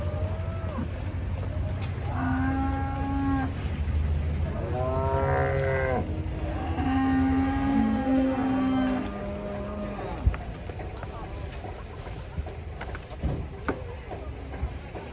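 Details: A furious cow swimming while residents gather around bellows a series of four or five moos over about eight seconds, some wavering and dipping in pitch, then quiet low hum with occasional knocks.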